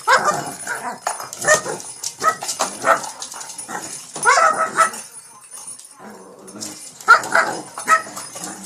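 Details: King Bubba, a pet Shih Tzu in Pennsylvania, attacking a cat toy late at night, gives short sharp yips and barks at irregular intervals, mixed with rustling play noises and occasional human voice.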